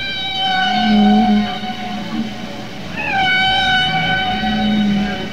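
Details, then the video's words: Humpback whale song from a male. Males in a group share one song of repeated patterns and change it over time. Long, wavering, harmonic wails slide gently, then a new rising cry begins, with a low hum beneath. "ತಿಮಿಂಗಿಲ ಹಾಡುತ್ತೆ ಕೇಳಿ ಮಾನವರೇ"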